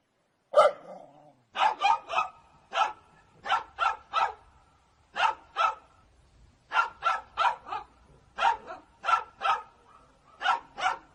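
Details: Angry dog barking in a compilation of funny clips: sharp, broadband barks mostly single, some in quick pairs, with about eighteen across the stretch at irregular spacing and short quiet gaps between.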